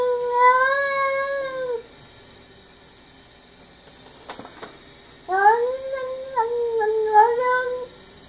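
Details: Indoor house cat Sonja screams at a neighborhood cat beyond the window. Two drawn-out, wavering yowls with rich harmonics are separated by a quiet gap holding a short rustle. The second yowl breaks into several bent, moaning segments.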